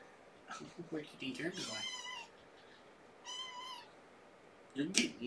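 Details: Domestic cats at home during evening play; a woman speaks briefly, then two short, clear, high meows follow about a second apart, and a few soft knocks and rustles close the stretch.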